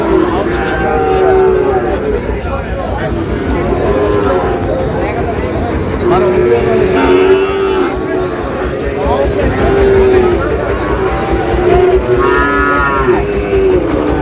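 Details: Sahiwal bull calves being bought by a farmer at a crowded Chittagong market, Bangladesh, 28 August: several short, low moans repeat every few seconds, one ending in a rich harmonic bellow, under steady chatter of people.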